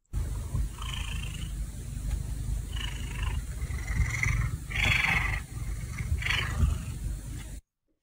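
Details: A nervous domestic cat in a room it hasn't visited lately purrs while cheek rubbing and scent marking to make the space feel safe, a steady, low, throbbing rumble.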